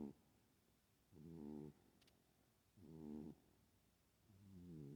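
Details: A sleeping house cat snores steadily, each breath a buzzy, low, harmonic rasp of about half a second, repeated about every one and a half seconds, four snores over a soft room hiss.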